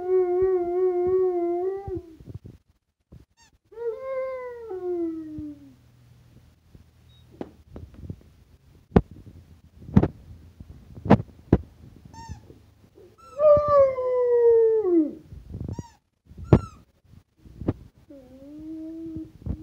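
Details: A Rottweiler singing to a squeaky toy gives long, wavering howls that sag in pitch, broken by sharp squeaks and clicks.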